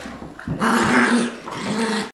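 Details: Tug-of-war play between an adopted Lab mix and a six-week-old Golden Retriever puppy: a brief pause, then a sustained, buzzy play growl lasting over a second, followed by another growl with scuffling.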